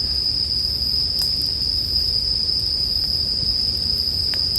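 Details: Short stretch of bell cricket song: a constant high-pitched ring without pause, joined by a few soft pops of a burning campfire.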